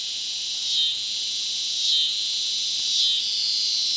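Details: Cicadas in southern Missouri, where the sound goes on for weeks at a time. A continuous shrill, high droning chorus swells slightly about once a second.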